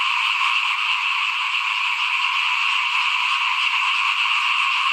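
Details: A continuous frog chorus in front of a house during rice sowing, 2021: many overlapping high, buzzy trills that merge into one even, shimmering wall of sound.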